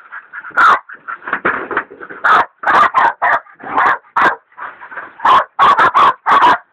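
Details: Hog dogs Dixie and Dollie, one a leopard dog in training, bay a large sow hog; irregular bursts of sharp barks, some in quick doubles and triples, separated by wavering whiny yelps.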